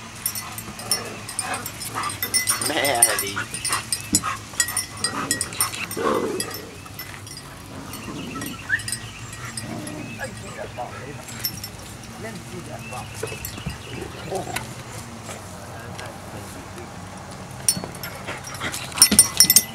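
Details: Playing Biscuit Bentley pups utter brief harmonic yelps and whines, clustered early, then quieter scuffling and clicking with occasional faint murmurs and a rattling burst at the close.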